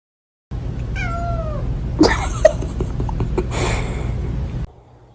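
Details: House cat utters one brief descending meow early on, followed by loud clattering bangs and knocking indoors.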